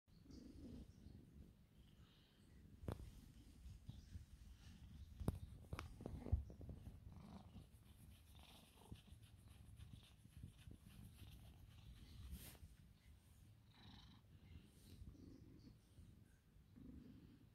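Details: A 23-year-old female cat purrs steadily, a low continuous rumble, while her left ear is scratched and she leans into it. A few soft rustles and clicks come from the handling.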